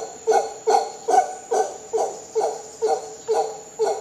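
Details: Short burst of howler monkey calling from Costa Rica: eight or nine evenly spaced, throaty grunts, each one a harsh layered pulse, with a thin steady high-pitched hiss underneath.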